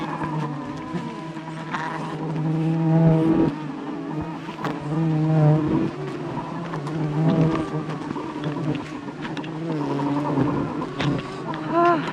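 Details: Aggressive wild bee swarm attacking a honey hunter during a wild honey harvest high above the jungle; a dense, steady low droning buzz fills the recording, with a man's shouts and exclamations over it.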